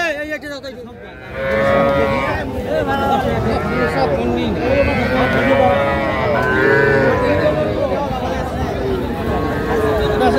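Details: At a cattle market in Narsingdi, Bangladesh, where young bull and heifer calves are traded, several overlapping drawn-out moos rise and fall over a dense background of chatter and bargaining voices.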